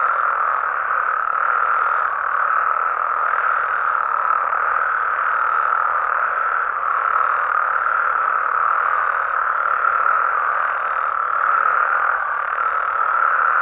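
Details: Chorus of frogs and toads in natural habitat in Mexico at night, a long unbroken blend of many croaking callers with soft rhythmic pulsing throughout.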